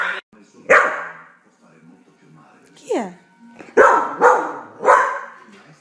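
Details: Australian Cattle Dog (blue heeler) watching TV; a few loud single barks, with a cluster of three near the end, mixed with Italian narration and a descending animal sound from the programme.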